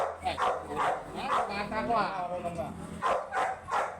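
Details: American Bully dog in San Jacinto, Pangasinan, described as a first-timer, giving short loud barks in a rough series near the start and again near the end, with a man talking between them.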